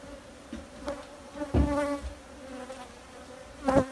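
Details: Honey bees droning in a steady low hum with a clear overtone above it, broken by a few sharp knocks and thumps, one loud bump near the middle and another at the end.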